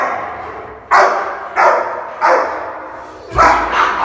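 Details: Rottweiler in India, aggressive over its junior food, gives four loud, rough barks spaced about half a second to a second apart, against quiet background hiss.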